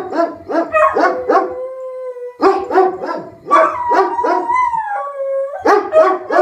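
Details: A Beagle named Rufus and a German Shepherd named Axle set off by a tornado siren: bursts of quick baying mixed with long, steady, sliding howl tones, with the yelps and sustained notes overlapping almost throughout.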